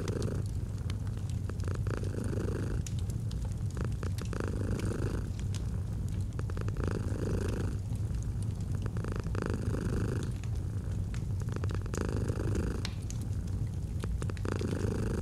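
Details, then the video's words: Domestic cat purring steadily beside a crackling fireplace, set in a cozy autumn ambience: a deep, continuous low rumble that swells in breathing cycles roughly every two and a half seconds, with sharp fire crackles and pops scattered throughout. "Fall asleep to the Purring of a Cat"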